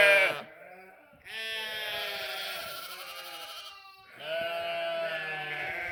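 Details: Sheep and lambs bleating and making noise: a loud harmonic bleat opens, then after a short pause a long wavering bleat holds for about three seconds, followed by another sustained bleat near the end.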